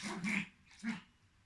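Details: Nine-month-old Pomeranian Spitz Portos plays indoors with Marsel, a three-month-old Maine Coon kitten. The dog gives two short, tonal, yelping barks about half a second apart, the first longer and doubled, then the room goes quiet.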